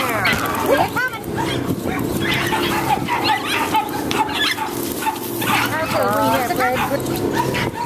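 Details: American Hairless Terriers at a UKC-sanctioned terrier race on January 7, 2012, excited; high rising and falling yips and whining cries repeat through loud human chatter and cheering.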